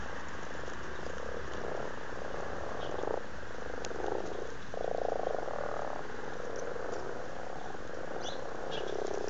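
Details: Amorous frogs calling in a garden pond in Blarney, County Cork, Ireland, filmed in February 2012; low purring croaks in overlapping bursts of about a second each, steady background hiss throughout.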